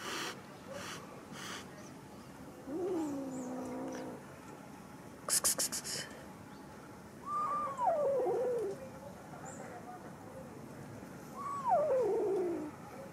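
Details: Abandoned kitten found on the street, now living in a rented apartment, gives three thin descending mewing calls a few seconds apart, each sliding downward; brief broadband clicks and faint background noise between them.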